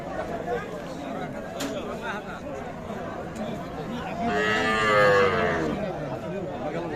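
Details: At Ambari cattle market, Parbatipur, Dinajpur district, Bangladesh, on 15 December 2023, where deshi cows with calves are traded: a single drawn-out moo rising and falling late in the clip, over steady crowd chatter and talk of prices.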